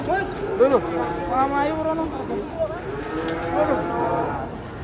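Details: Several cows descending from a truck moo in quick succession: short, curved, nasal calls overlapping one another, with faint voices and background rumble.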